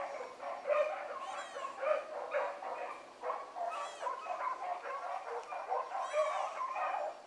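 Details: Hound pups running a rabbit in the morning, several of them giving tongue together: overlapping ringing bays and yelps, each rising and falling, in a continuous chorus with short surges of louder cries.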